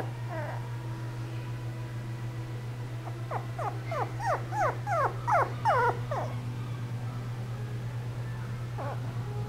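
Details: Shiba Inu giving a rapid series of about ten descending, whiny yelps over three seconds, each sliding downward, with a fainter cry near the start and end over a steady low electrical hum.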